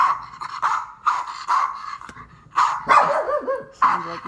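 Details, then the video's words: Pet dog barking at sound effects, sharp rough barks repeated about every half second, with a person talking over the later barks. "My dog barking at sound effects"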